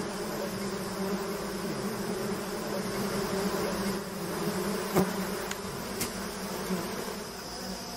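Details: Bees swarming off a stone-built hive as a beekeeper waves a leaf over them and cuts out the honeycomb by hand; a steady, dense low buzzing hum runs throughout, with a couple of brief sharp clicks midway.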